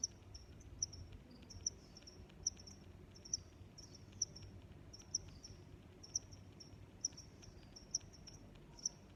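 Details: Crickets giving crisp, high chirps spaced under a second apart, fairly even in tempo, with quieter background chirping and a low rumbling noise beneath.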